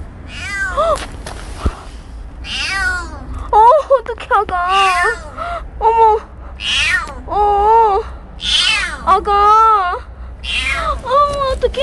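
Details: Stray kitten Petit mewing insistently, with about ten wavering, high-pitched meows in quick succession, each roughly half a second long, some rising and dipping. A woman's voice is heard softly among the calls.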